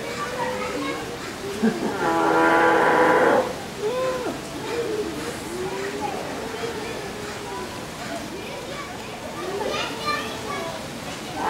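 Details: A sea lion at Vancouver Aquarium gives one loud, honking, strongly harmonic call amid chattering human voices.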